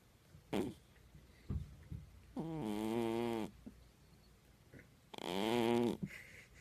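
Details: Jaja, a pet cat, snoring indoors: two long, rough, throaty breaths about two and a half seconds apart, each lasting nearly a second, with faint soft clicks and rustles between them.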